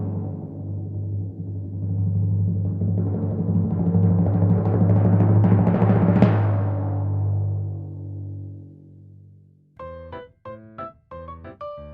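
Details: A timpani roll swells to a crash, fades away, then gives way to short plucked musical notes near the end.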